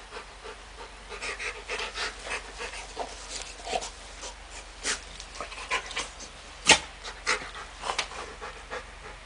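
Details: Labrador Retriever with a baby, panting in a fast rhythm of short, airy huffs about two or three per second, with one sharp click midway and faint room noise.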